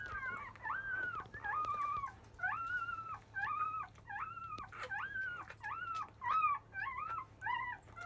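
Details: Five-day-old Labrador Retriever puppy of field lineage fussing at the start of nursing; clear, loud arched whining cries, rising then dropping, repeated about every half second to second in a steady insistent series, with a faint low hum behind.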